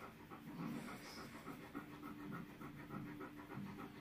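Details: Tala, a female Alaskan Malamute in labour before giving birth to ten puppies, panting indoors: soft, breathy pulses repeating steadily a few times per second, with a faint low hum underneath.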